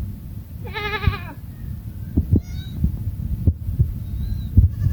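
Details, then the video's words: Goats of a family eating in a forest: one brief quavering bleat early on, then low rumbling noise, thumps and faint high chirps fill the rest. "The Sound of a GOATS lost in the Forest"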